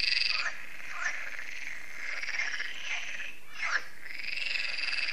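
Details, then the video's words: Many frogs calling at an evening lake in France, the Lac de Sabatte: a dense wall of buzzy trilling with louder rasping croaks breaking through about once a second, no pause in the chorus. "Froschkonzert an Crystals Lake"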